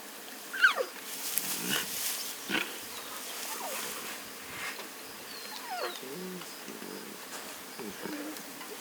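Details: Lion cubs, two small and two tiny, resting with their mothers and eating in the Masai Mara on 2 November 2022; a sharp descending squeal, then short low grumbling calls, over steady buzzing flies and faint bird chirps.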